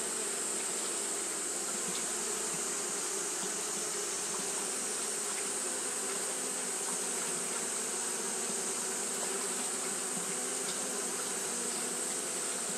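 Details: Japanese honey bees fanning throughout a hot day; a steady, unbroken droning buzz with a low hum and a bright hissing overtone, holding even in loudness from start to end.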